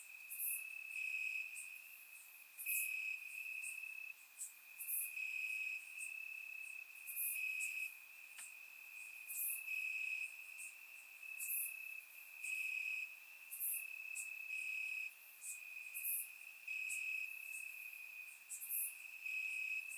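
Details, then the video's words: Crickets in the grass at night during warm Bulgarian summer weather, surround-microphone recording; an unbroken high chirping trill pulses in uneven loud and soft spells, overlaid by frequent brief hissy high-pitched bursts about every second. "Cricket Sounds - Crickets Chirping at Night"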